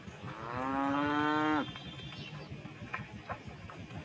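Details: Tame cows calling one another while feeding on rice straw in harvested village rice fields; a single long moo, steady and slightly falling at the end, lasting about one second, followed by quiet rustling and soft clicks.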